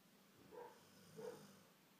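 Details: Golden retriever Faith snoring indoors: two soft, breathy rasping snores about half a second apart, quiet against a faint steady room hiss.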